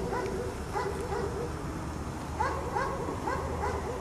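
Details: Dog kept chained outdoors in snow all day, barking repeatedly: sharp, slightly rising barks in loose clusters, about three early then a run of four or five later, with constant low outdoor hum underneath.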